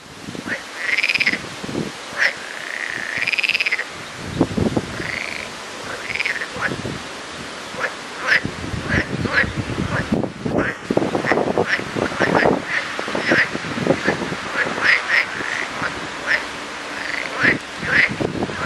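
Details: Lots of frogs in full chorus, opening with a few drawn-out, wavering rising calls, then a rapid jumble of short clicking croaks and quick upswept notes over a steady background roar.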